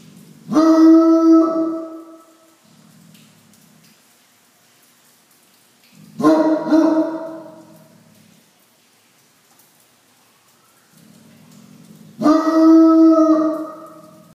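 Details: A male Bloodhound in Southern California bays at rain, rarely seen by him, with deep, drawn-out barks spaced about every six seconds.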